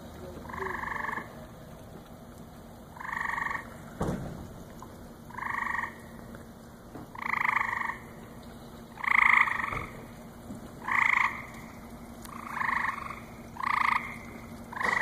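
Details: Frogs at a lily pond at the Cranbrook Institute of Science on a July night in 2014 give about ten twangy, nasal croaks at irregular one-to-two-second gaps, with a brief knock and faint background hiss.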